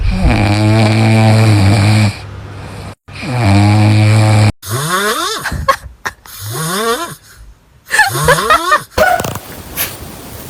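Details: Sleeping pet dog snoring indoors: two long, loud, deep rumbling snores with rich buzzy overtones, each lasting about two seconds, then rising squealing sounds and bursts of human laughter.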